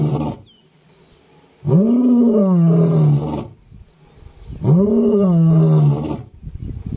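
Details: A male lion gives two long, deep roars about three seconds apart, each rising then sliding down in a resonant moan, with quieter grunting between them.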